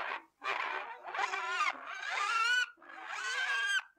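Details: A pig squealing in drawn-out, strained bursts that rise and waver in pitch, about five cries in four seconds with short pauses between them, in a quiet setting.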